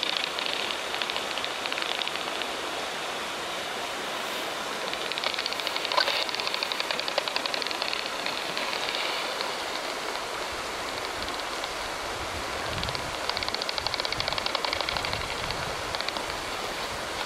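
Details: Daubenton's bat hunting insects at night over a river in Ireland. Its echolocation calls come through a bat detector tuned to 35 kHz as bursts of dry, rapid clicking over a steady hiss.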